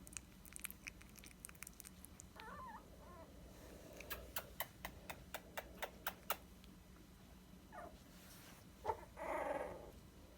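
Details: Twenty-day-old Dachshund puppies indoors: a brief wavering whine early on, a run of sharp tapping clicks in the middle, then a louder, rougher squeal near the end against a quiet room hum.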